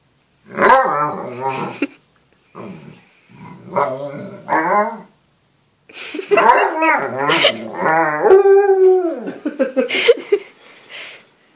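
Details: Alaskan Malamute indoors giving wavering, howl-like yowls with a growly edge: three short bursts, then a longer run of rising and falling moans ending in a drawn-out, sliding tone, with brief voices in the background.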